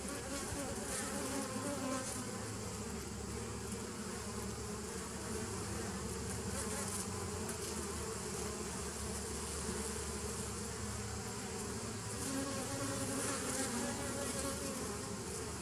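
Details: Honey bee buzzing recorded 27 September 2018, a long unbroken drone layered with low pitched bands, steady in loudness, with faint flickers of higher noise now and then.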